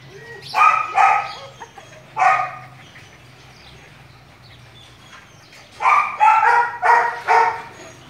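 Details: A long-haired male purebred German Shepherd gives deep, hoarse barks in two short bursts separated by a quiet pause.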